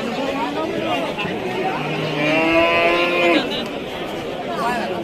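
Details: Cattle at a Qurbani cattle market on a Wednesday in 2025: one drawn-out, harmonic moo lasting about a second and a half rises above steady crowd chatter and men talking, with vehicle noise in the background.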